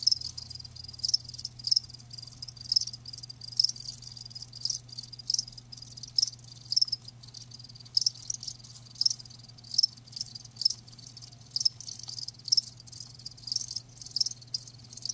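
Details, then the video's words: Crickets calling live in a steady chorus of high, rapid chirps, with sharper bursts roughly every second over a continuous shrill background and a low constant hum. "Live Crickets 60min "Natural Sound" ASMR"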